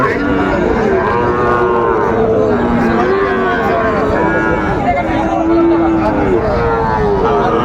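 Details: Sahiwal breed bull calves lowing at a busy Dhaka-area cattle market on 30 August 2024; repeated long, mid-pitched moos, some rising then falling, sound almost continuously over a background of distant human voices.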